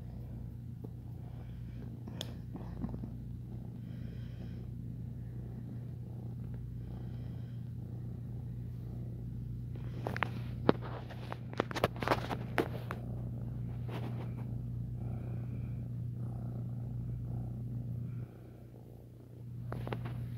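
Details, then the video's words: Ex-feral foster kitten purring while kneading, making biscuits: a low, steady rumbling purr runs throughout over a constant electrical hum, with scratchy rustles and clicks around the middle and a brief quieter dip near the end. "Ex-Feral Foster Kitten Purring and Making Biscuits"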